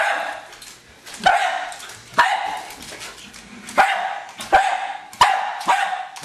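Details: Hali, a pet Jack Russell Terrier, attacking a remote controlled car: sharp, harsh barks burst out at uneven intervals, about seven in six seconds, with quieter rustling between them.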